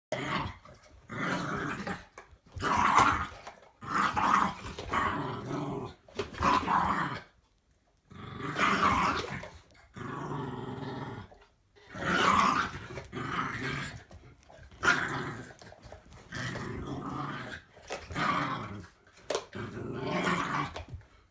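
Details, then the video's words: A 7-year-old Patterjack and an 8-month-old Staffy pup play tug of war, the smaller dog making up for its size with noise: rough, rasping growls in bursts of one to two seconds, separated by short pauses, indoors. "7-Year old Patterjack Vs 8-Month old Staffy Pup (tug of war)"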